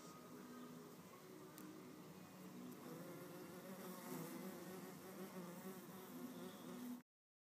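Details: Red mason bees struggle for a nesting cavity beside completed mud cells. A continuous low buzzing drone grows slightly louder and more insistent before cutting off abruptly.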